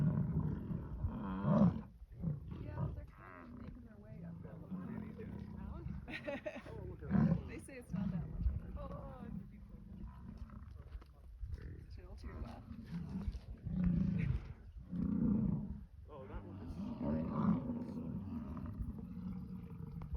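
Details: American bison during the rut in Yellowstone National Park: a series of separate deep, throaty roars, each a few seconds long with short gaps between, some rising to loud peaks.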